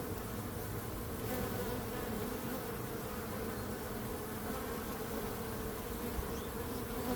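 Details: Steady drone of bees, a continuous layered hum with a strong low rumble and a brighter buzzing band above, unchanging from start to finish.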